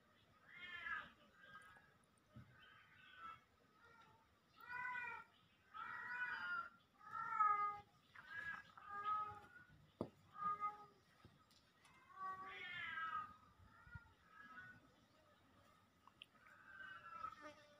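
A Siamese cat meows repeatedly with loud, drawn-out, wavering calls.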